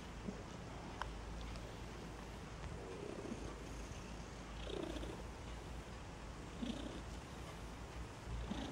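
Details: Newborn Maine Coon kittens at the Moon Cat cattery in Saint Petersburg, Russia, giving faint, brief squeaks scattered every second or two over a steady low purring hum, with a few soft clicks.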